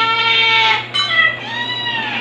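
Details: Kitten crying, from a litter including white dalmatian-spotted Stuart and black Lunar, recorded in early July 2022; a loud, sustained, strained wail that briefly breaks near one second, then continues as a long, slightly falling cry.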